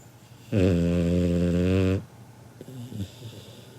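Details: Asleep, the Labrador Retriever puppy Kinako, aged seven months, gives a single loud, buzzing, low snore of about one and a half seconds, human-sized in volume, followed by a softer, shorter rasping exhale.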